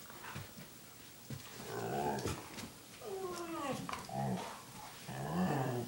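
A dog gives odd, drawn-out groaning whines that slide up and down in pitch.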